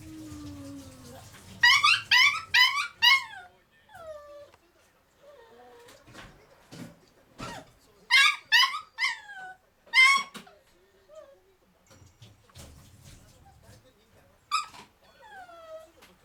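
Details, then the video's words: Male black-and-tan Kaninchen Dachshund puppy in a cage, calling to be released and played with: bursts of rapid high yips alternating with drawn-out falling whines and quiet pauses, with soft clatter in between. "A miniature dachshund puppy wants to be released from the cage"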